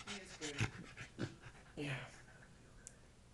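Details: Beagle giving pig-like snorting grunts: three rough, breathy bursts spaced roughly half a second apart, then fading into quiet breathing, with a person talking softly near the start.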